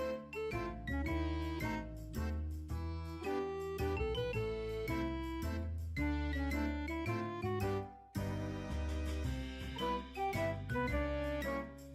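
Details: Bright, jingly instrumental music with steady plucked and chiming notes plays throughout, with no animal sound.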